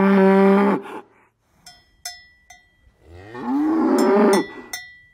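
A cow gives two long, low moos, with cowbells clanking between them.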